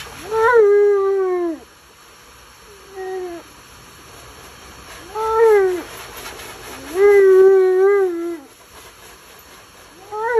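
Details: Alaskan Malamute named Tonka yelling and complaining while being bathed: four drawn-out, speech-like howling moans, each swelling then falling in pitch, with quiet pauses between and a fifth starting at the end.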